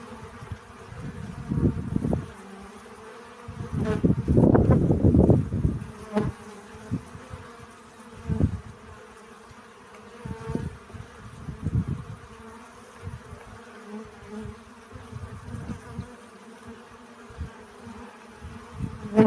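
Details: Honey bees buzzing while collecting pollen, low droning hum rising and fading in irregular bursts as insects fly close past, with a loud swell around the middle and quieter passes after.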